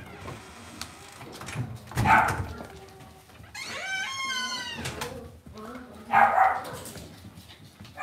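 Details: Cavalier King Charles Spaniel puppies in an indoor home puppy pen: two short, bright yips separated by a drawn-out, tremulous whine that rises and falls, with soft rustling and thumps in the background.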